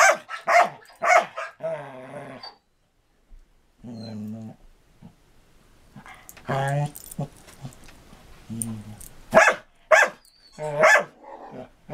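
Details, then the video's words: Marco Polo, a six-year-old Samoyed limited in jumping after back surgery, plays with Cisco, a rescued Border Collie, in 2014: sharp barks open, then drawn-out harmonic growling grumbles separated by short pauses, with further barks near the end. "Marco Polo (Samoyed) and Cisco (Border Collie) Playing in 2014"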